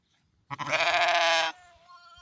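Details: A mother sheep gives one loud, drawn-out, quavering bleat of about a second, rich and harsh, fading into a quieter trailing note.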